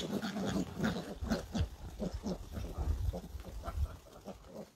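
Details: A wild boar mother with her young gives low, gruff grunts in an uneven, rapid series.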